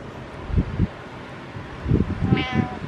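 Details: Pet cat meowing while its owner works out: a short, bright meow with stacked harmonics near the end, preceded by dull low thumps from exercise and the owner's quiet talk.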